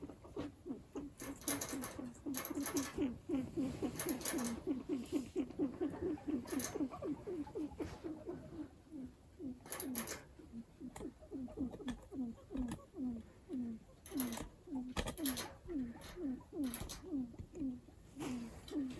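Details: Pet guinea pig kept at home making unusual noises: a long run of short, low, downward-sliding chirps about two per second, steady then in looser bursts, with faint tapping and rustling in a quiet room.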